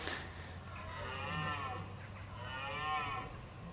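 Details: Red deer bolving in October ahead of the rut, giving two arched, moaning bellows of about a second each, rich in harmonics and rising then falling, separated by a short pause over a steady low hum.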